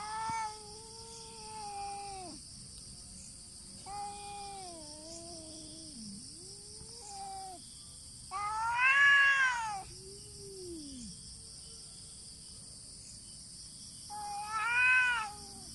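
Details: Two cats fighting without contact, exchanging long, moaning yowls roughly every two seconds. The calls bend and waver in pitch and swell into two louder, harsher wails near nine and fifteen seconds. A constant high buzzing background is present.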